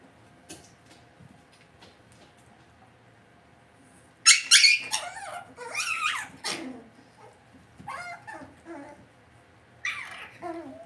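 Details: Cavalier King Charles Spaniel puppies raised indoors in a home puppy pen send out high, squealing whimpers and yips in uneven bursts after a quiet start, with sliding cries trailing off toward the end.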